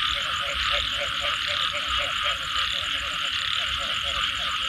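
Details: Post-rain frog chorus: clusters of low pulsed croaks recurring about 90 times per minute, set against an unbroken shrill drone of other night callers.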